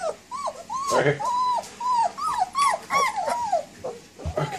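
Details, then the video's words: Puppies whimpering and whining in a series of high, arching squeals that rise and fall, several in quick succession, with a person's voice mixed in. "Ultimate Baby Dogs - Cute and Funny Dog Videos Compilation"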